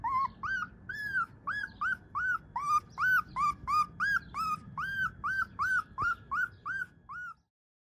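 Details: A Husky puppy yelps in a steady run of about twenty short, arched, high squeaky yips, nearly three per second, each rising then dropping, before falling silent.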